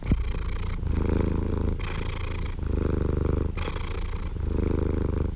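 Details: Domestic cat purring steadily, a low rumbling pulse alternating with breathier, hissier phases roughly every second as it breathes in and out, even and continuous throughout.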